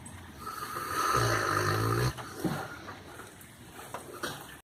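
A Rottweiler snores with a deep, rumbling, buzzy breath that swells and then fades.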